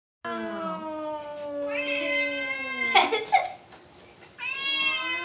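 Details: Two Bengal cats, Frosty and Zero, eating and unwilling to share their food; long drawn-out tonal yowls held steady, a harsher broken burst near the middle, then another sustained rising yowl in a small indoor space.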